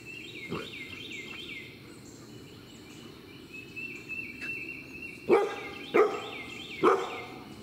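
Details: A 6-month-old male Bernedoodle puppy named Vail, Bernese Mountain Dog crossed with Standard Poodle, barks three times near the end, each a short harsh burst, after a quiet stretch of distant high-pitched chirping.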